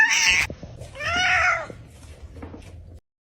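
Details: A cat gives a single drawn-out, arching meow after a brief burst of human speech. A few soft knocks follow, then silence.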